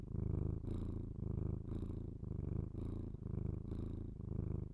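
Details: Close binaural ASMR recording of a house cat's purr: a loud, low, vibrating rumble pulsing in about six even breath cycles, with brief airy breaths marking each switch.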